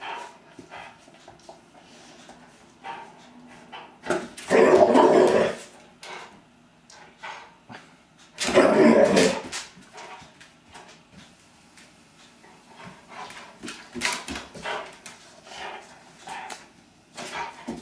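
Two loud, heavy bark bouts from a Rottweiler stand out, each a quick volley of deep, rough barks. Softer huffs and low grumbles fill the gaps as it keeps watch over the home.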